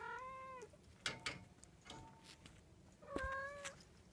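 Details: Munchkin kitten, 38 days old, giving two clear tonal meows, one at the start and one near the end, each steady then falling, with faint handling clicks and rustling between them.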